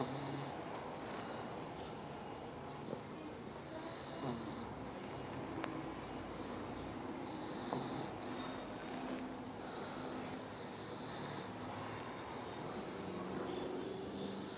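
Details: Darla, a pet pug, snoring loudly indoors: rough, rasping breaths that rise and fall in a steady cycle, broken by occasional short snorts over a low, noisy background hiss.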